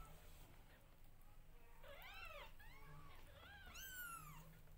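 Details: Loud meowing from newborn domestic kittens during grooming by their mother, with quick overlapping arched cries, several in close succession, the last one high and sharply falling, over steady low background noise.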